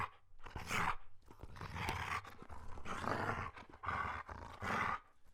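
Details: German Shepherd barking in a quick series of rough, noisy bursts with throaty undertones, about five clustered barks within a few seconds.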